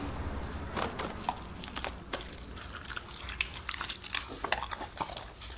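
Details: Siberian Husky eating raw meat and bones as a reward: scattered sharp crunches and wet clicks, irregular and close, with a low steady hum underneath.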